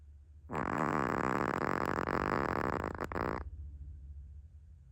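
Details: Naomi, a Chihuahua, asleep and snoring loudly: one coarse, vibrating snore of roughly three seconds rises out of quiet, with a brief catch near its end before it stops.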